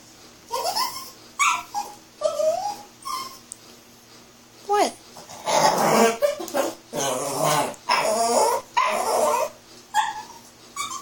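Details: Playing puppy with its ball gives high whimpering yips that bend upward, then a run of rougher, noisier growl-like grumbles in the middle before the thin whines return.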